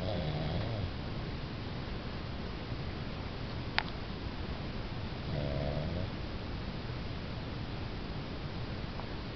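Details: Pug snoring in its sleep, two low rasping snores about five seconds apart with a sharp click between them, against constant hiss.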